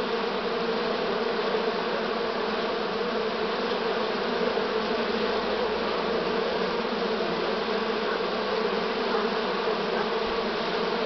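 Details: Late-season honey bee swarm, 6 September 2019, Romania; a thick continuous droning of countless wings, even in loudness from start to finish, with a faint low rumble partway through.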